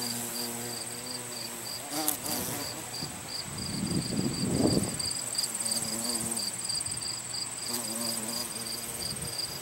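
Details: Carpenter bee collecting pollen at a botanical garden on 3 September 2020; a low, droning harmonic buzz rises at the start and again near the end, over steady rapid insect chirping and a constant high whine.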